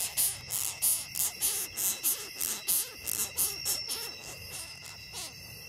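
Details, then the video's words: Forest in Ghana, a longhorn beetle held in the hand and objecting: about a dozen high, dry squeaking rasps at uneven intervals, set against a constant whine of background insects. "Angry Longhorn Beetle"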